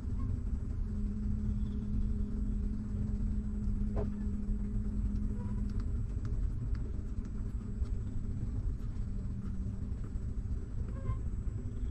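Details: Steady low engine rumble with a faint droning hum, like a vehicle idling or passing nearby, and a few scattered clicks.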